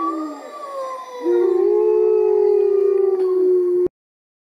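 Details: Wolves at the UK Wolves Conservation Trust howl in a long, steady, mournful tone that slides down from a higher opening note.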